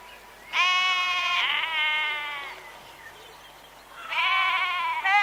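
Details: A sheep gives a long, quavering, nasal baa that wavers in pitch and then fades. A short silence follows before a second strong bleat begins.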